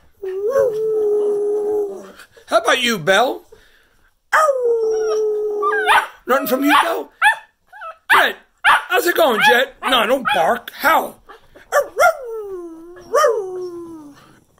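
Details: ['Christmas 2019 howling session with cocker spaniels, including Duncan, in New Jersey. Falling drawn-out howls open and close the passage, separated by a busy stretch of human voices and mixed yips and chatter.']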